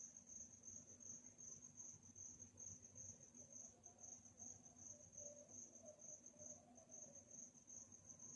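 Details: Crickets chirping on a calm night: a steady stream of thin, high-pitched pulsed chirps, roughly two to three per second, over a soft low hum and a faint wavering mid-pitched drone.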